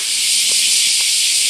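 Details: Bear cicadas in a loud summer chorus beneath a giant camphor tree at Daitokuji Park, Nagasaki, Japan, summer 2019: a dense, steady, hissing buzz with no breaks, and faint traces of a man's voice.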